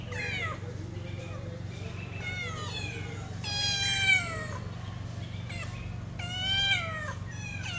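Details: A pet cat meows repeatedly in long, falling, slightly wavering cries, some overlapping; faint voices and a constant low background hum.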